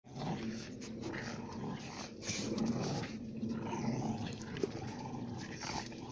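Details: Two Central Asian shepherd dog (alabai) female puppies from Tajik flock-guarding stock fighting; a continuous rough, low growling and snarling runs throughout with scuffling noise.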